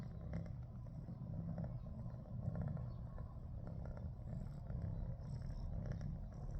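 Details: Domestic cat purring, described as frightened after being attacked by a big cat the night before; steady low rumbling purr throughout, continuous and even with slight swells in loudness, no other clear sounds.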